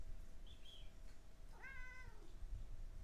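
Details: A Siamese cat, meowing in answer when spoken to, gives a single clear meow that rises briefly, then slides down in pitch.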